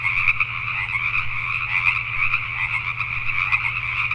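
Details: Night chorus of Pacific tree frogs in Richmond, British Columbia, Canada, many frogs croaking at once in a thick, unbroken wall of raspy calls, with a steady low droning hum in the background.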